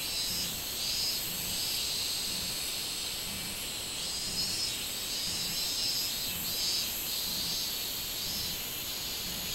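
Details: Minminzemi, the robust cicada, singing on 24 July 2016: a continuous piercing drone whose loudness swells and fades in regular beats about every second, with no other clear sounds.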